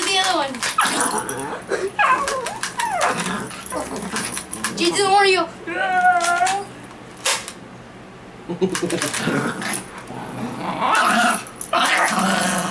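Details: A dog named Lucas reacting to an unloaded BB gun, giving sharp barks and wavering, rising whines and growly yelps in bursts, with people talking over and between the dog's sounds indoors.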